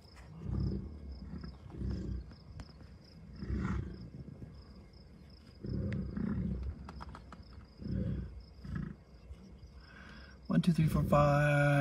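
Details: Bison grunting within a herd of cows, bulls and calves at Rocky Mountain Arsenal Wildlife Refuge, Colorado, on June 2, 2022: low, rough grunts repeat about every second, ending in a sudden sharp tonal noise.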